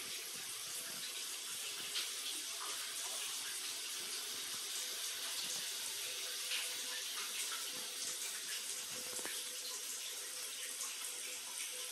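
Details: A tap runs steadily into a sink, a bright continuous hiss of water filling the small room with no animal voice.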